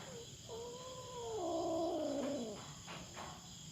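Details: Feral cat at a farm in the Philippines, intruding on the farm cats' territory and confronting a black cat. It gives a drawn-out, wavering harmonic yowl that swells and then slides downward, over steady insect buzzing.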